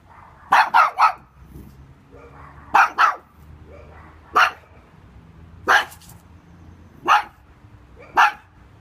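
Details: A little pug barking at an intruder: loud sharp barks, a quick double bark at the start and another double near three seconds, then single barks spaced about a second apart.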